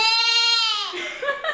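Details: Mallu, a little disabled goat, gives one loud, sustained bleat rich in overtones. The call holds steady for most of a second, then bends downward and fades, and a brief, softer broken vocal sound follows.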